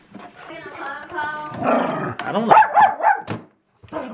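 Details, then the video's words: A female Jack Russell Terrier barks at a paper shredder, a quick run of sharp, high barks after a stretch of human speech. "Jack Russell Terrier Dog Barks At Paper Shredder"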